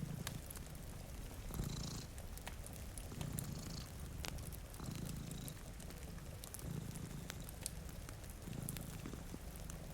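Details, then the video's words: Two cats sleeping in front of a rainy window purr steadily, a low rumbling pulse swelling roughly every one and a half seconds, with sharp fireplace crackles and soft rain hiss above. "Purring Cat"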